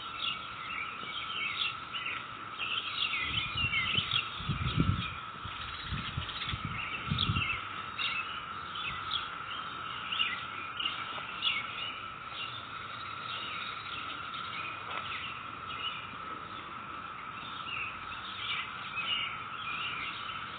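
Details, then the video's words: Steady cicada drone from a neighborhood on May 22, 2021, holding one pitch for twenty seconds beneath busy bird chirping, with low rumbling rustles in the first third. "Sound of cicadas in our neighborhood"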